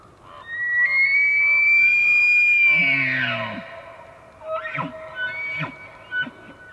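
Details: An elk bugles in Banff, Canada: a long, high, rising whistle that breaks into low grunts and chuckles.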